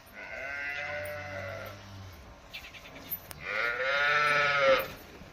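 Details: Holstein Friesian dairy cow on a farm, said to have calved five days earlier, gives a long low moo, then after a pause a higher, strained, wavering call, with clatter and murmured voices in between.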